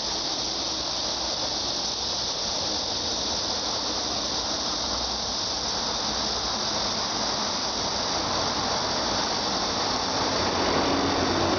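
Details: Cicadas droning in a dense, unbroken high-pitched buzz that holds steady for the whole stretch, with a faint low hum underneath.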